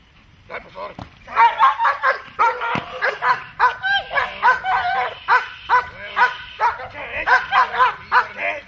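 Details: Dog during protection training barking in a fast, steady volley of sharp, loud barks, several per second, continuing almost without pause for most of the stretch.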